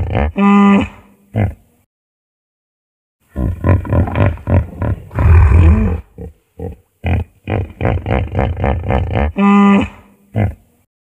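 Hippopotamus giving deep, nasal drawn-out honks, then a long run of rapid staccato grunting honks about four per second, closing with another drawn-out honk.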